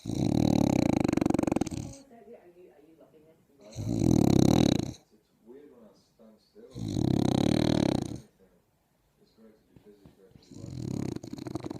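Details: A wrinkly French bulldog snores loudly while sunbathing, each rasping breath lasting over a second and recurring every few seconds.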